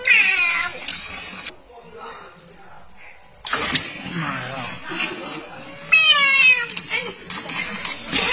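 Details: An American bullfrog awaiting slaughter at a restaurant gives loud, wailing cries that sound almost like a cat or a human voice, heard as if calling "mama".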